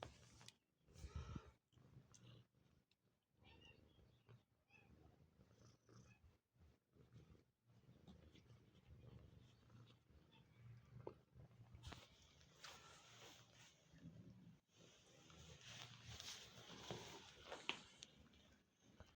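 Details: Male domestic cat that looks after kittens and nurses them every day, indoors; low, steady rumbling purr-like sound running through, broken by louder irregular bursts and rustling handling noises.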